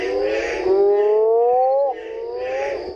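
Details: A male Mexican burrowing toad (Rhinophrynus dorsalis), calling from a temporary pond's edge after heavy rain to attract females, gives its mating call, a long, low, rising moan like a drawn-out groan.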